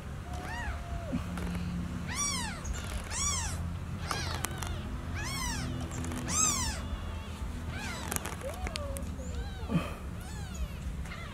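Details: Baby kitten meowing repeatedly after losing its mother: a rapid series of high, arched meows at roughly one per second, some longer and flatter, with faint rustling and a low hum behind.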